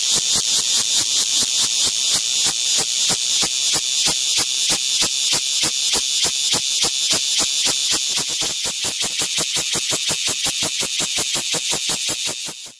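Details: Cicada on a window producing an intense high-pitched buzz made of fast, steady pulses, roughly three per second, fading at the very end.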